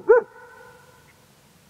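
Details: A German Shepherd barks at nothing toward the mountains: a single deep, sharp bark that rings on in a long echo.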